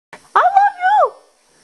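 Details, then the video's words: Shih Tzu dog howling in a way its owner hears as "I love you", though the dog is said to be annoyed; one short, smooth vocalization holding steady, then sliding down at the end, with a faint lead-in sound. "Shih Tzu says I love you"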